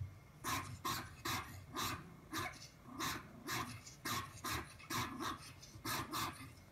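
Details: Papillon puppy barking indoors, about a dozen sharp barks spaced roughly half a second apart, with a low growly undertone between them.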